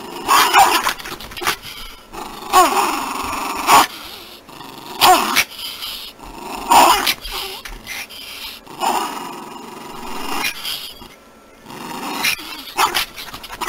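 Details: Poodle voicing a series of short, rough growling and yipping bursts, each lasting under a second and separated by brief pauses, with a few sharper tonal yelps mixed in and light background noise between calls.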